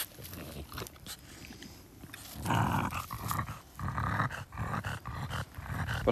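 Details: French Bulldog Oleg, outdoors on a garden plot, having discovered a taste for strawberries: low rough grunting and snuffling while eating, louder in the second half, with faint rustling around it.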